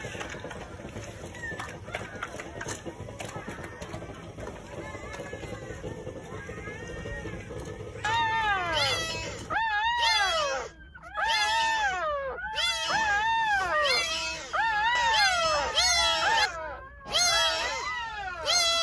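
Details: Newborn Jindo puppies crying at a country house on New Year's Day, from a litter of nine born between 8:30 in the morning and 1 o'clock. Low rumbling background at first, then repeated high, arching squeals from about eight seconds on.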